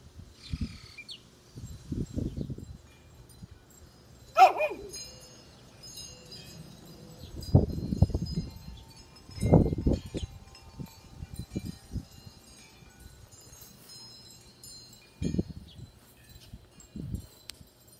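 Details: Fox, a four-year-old Corgi/Chihuahua mix and former stray, barks at night in answer to another dog barking in the distance: one sharp, loud bark near the start, then scattered low muffled thumps and faint high chirping in the background.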